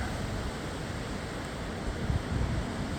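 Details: Steady wind buffeting the microphone on a windy morning, with a few low thumps; no animal voices.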